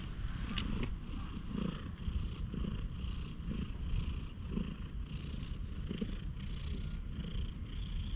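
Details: Stray cat missing one eye, friendly and being stroked in a quiet park, filmed with a GoPro HERO8: continuous soft purring, its rhythmic pulses rising and falling roughly every second, with brief handling rustles near the start.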